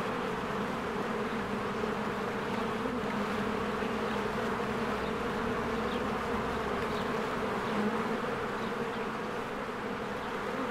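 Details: Honeybees busily flying around their hive among spring blossoms, producing a deep, unbroken collective buzz with slight pulsing texture, several faint distant bird chirps sprinkled above.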